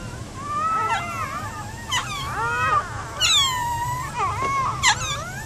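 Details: Newborn Giant Schnauzer puppies squealing and whining in a chorus of wavering, arched high cries, some sharp yelps breaking through, overlapping callers throughout.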